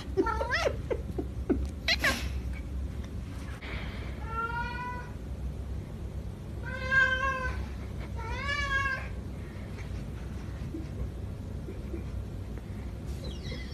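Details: An 11-year-old male flame point Siamese cat gives three long, wavering meows, drawn out and slightly rising, asking for attention and wanting to play.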